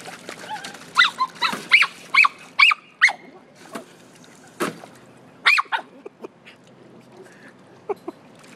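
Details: Toy Fox Terrier at a swimming pool, playing with a garden hose, letting out a rapid string of shrill, excited yips about two per second, then a pause and a few more, with splashing water behind.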